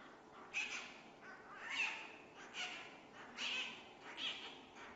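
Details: A newborn giant panda cub, the world's lightest, born at the Chengdu Giant Panda Breeding Research Base in Sichuan, China, gives shrill, raspy squeals in short bursts about once a second.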